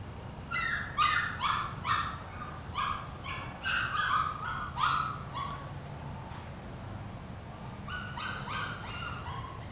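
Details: Portuguese Water Dog puppies, eight weeks old, dashing for dinner at feeding time: quick bursts of high, short yips repeated rapidly, pausing midway, over rumbling background noise.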